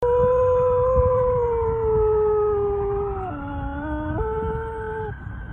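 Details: A once-stray pet dog howls at a passing ambulance siren near a hospital, one long deep sustained howl gently falling in pitch, dipping lower midway then rising again, with a faint siren tone running above it.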